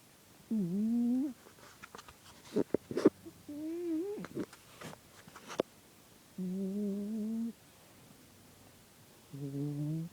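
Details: Sleeping cat snoring indoors with a TV show playing: four humming, tonal snores of about one second each, spaced several seconds apart, with sharp clicks and knocks in between.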